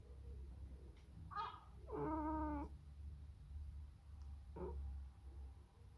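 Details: Sacred Birman cat talking to a seagull: a few short harmonic meows, one longer wavering call near the middle, over a steady low hum.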